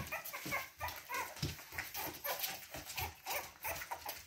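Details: Four red and white Boston Terrier puppies: a busy patter of short, high squeaks and whimpers, overlapping and repeated several times a second, with rustling close by.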